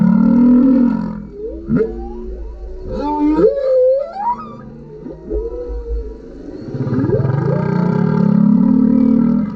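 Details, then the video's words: Singing male humpback whale recorded by GoPro directly under a kayak; low swelling moans open and close the passage, with a middle run of quick upswept squeaks and chirping whoops between them. "Humpback whale singing underneath our kayak"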